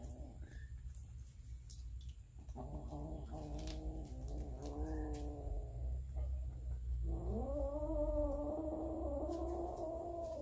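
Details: Hungry cats and kittens over a meal of raw fish, captured on a Samsung Galaxy S9 Plus. Two sustained, harmonically rich yowls, the second rising and held for several seconds, over low room rumble and scattered clicks.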